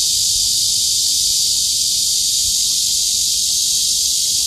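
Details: Cicadas droning in a steady, high, shimmering buzz that stays even in loudness from start to finish with no pauses.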